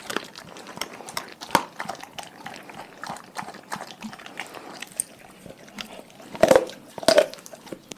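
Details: Dogs fed raw food, chewing indoors: a steady run of soft clicks and gnawing, then a couple of louder crunches near the end.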